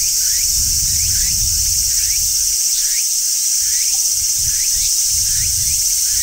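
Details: Large brown cicada shrilling on a tree in midsummer, a continuous buzzy sizzle held at constant pitch, while short rising chirps, probably from a bird, repeat several times per second underneath.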